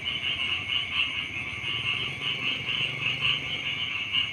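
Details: Short burst of a rice-field frog chorus in the morning, high-pitched rapid trills swelling and fading in quick waves over a faint low background noise.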